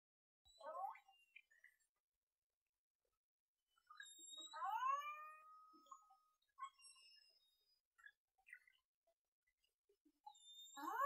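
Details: An underwater recording of a killer whale in False Bay, South Africa, on 26 January 2021, thought to be the first from South Africa: harmonic, squealing tones sweeping up and down, with thin high whistles between.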